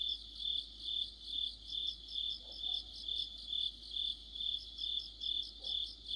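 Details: Crickets joined by other insects singing in autumn: a shrill, layered chirping that rises and falls about twice a second, with two soft faint sounds lower down.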